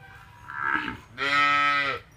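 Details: Punganur calf giving a short higher bleating call, then a louder sustained moo rich in harmonics lasting under a second.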